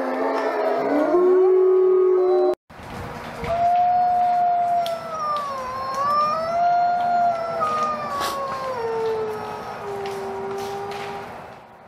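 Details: Wolf packs howling: a chorus of layered wails, cut off by a brief silence near two and a half seconds, then long smooth howls that rise and fall, with several voices overlapping before fading out.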